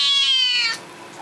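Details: Young male Seal Point Siamese cat, said to be probably upset, gives one long high nasal meow with a rich stack of overtones, slowly falling in pitch and ending abruptly after under a second, indoors.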